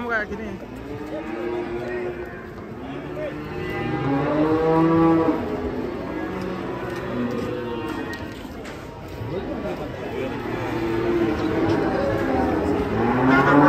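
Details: Large fat cattle giving several long, wavering moos that rise and fall, blended with background music and low murmuring voices.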